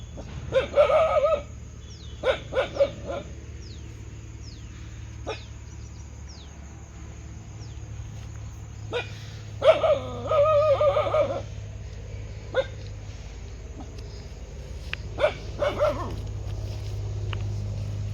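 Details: Dog barking in short clustered bursts, a few yelping barks near the start, a longer run of barks around the middle and another near the end, over a steady low hum with faint clicks.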